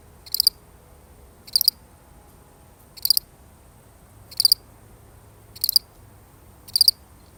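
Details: One lonely cricket chirping by itself: six brief, shrill, pulsed chirps spaced a little over a second apart, each a tight burst of high notes, over a quiet low rumble.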